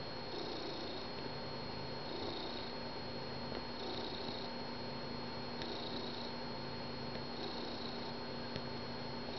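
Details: Finnegan the house cat, joining his people each morning on the couch, gives a continuous low purr that rises and falls with each breath, cycles spaced near two seconds apart, a thin steady tone running underneath throughout.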